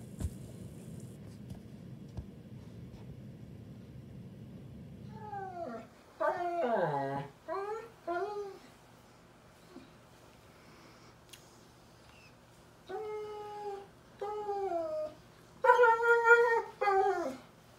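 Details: German Shepherd puppy Daisy cries at bedtime, 15 May 2021: quiet hum at first, then bursts of drawn-out, falling whines and squeaky cries in small groups, ending with a loud high wail.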